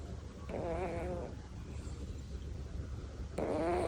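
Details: Devon Rex cat named Tory asleep and snoring, apparently tired; two rough, wavering snoring breaths with a buzzing, layered quality, the first near the start and a second louder one at the end, separated by a quiet steady background hum.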